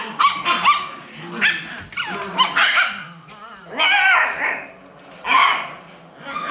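An Alaskan Klee Kai puppy gives high, yappy barks and whiny yelps in irregular bursts.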